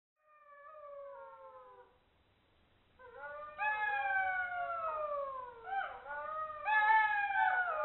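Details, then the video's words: In Hungary, golden jackals filmed with a thermal camera howl in long, wavering, falling notes, one voice first and then several overlapping. "Golden jackal thermal video / Goldschakal - Wärmebild & Heulen"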